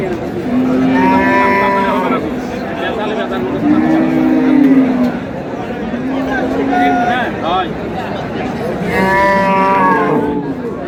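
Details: Cow with calf at Ambari cattle market, Dinajpur, 13 March 2026: several long, deep harmonic moos, each lasting one to two seconds with gaps between, over steady crowd chatter and bargaining voices.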